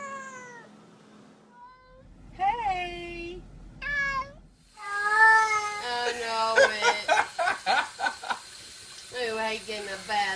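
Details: A vocal cat in a small room lets out a run of meows, some short and clipped, some long and bending in pitch, then a rapid burst of choppy, speech-like yowls.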